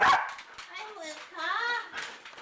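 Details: Luca, a very talkative foster dog, gives drawn-out, wavering whining vocalizations that rise and fall like talking, with two longer warbling phrases in the middle, mixed with human voices.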